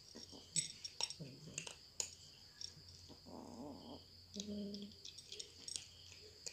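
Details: Cats eating indoors: irregular sharp clicks and crunchy chewing taps scattered throughout, with a few brief low voiced murmurs in between and a faint steady high-pitched whine in the background.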